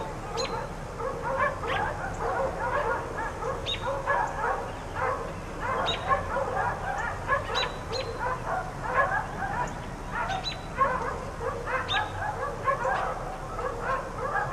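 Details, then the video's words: Neighbors' four dogs, kept outdoors all day, keep up a chorus of rapid yappy barks in clusters every second or two, several voices overlapping, heard from a distance against constant low background noise. "4 Dogs Barking Allday"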